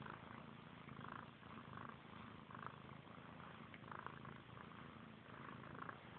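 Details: Brother and sister kittens, Frank and Callie, mutually grooming; an unbroken low purr hums underneath repeated quick licking sounds, roughly one burst every second.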